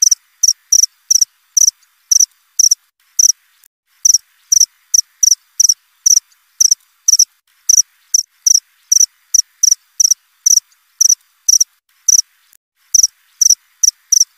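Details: Cricket chirping continuously, krik krik, with rapid high pulses and pairs tumbling at an uneven pace, few gaps longer than a second, in an otherwise silent setting, from an hour of nonstop cricket sound.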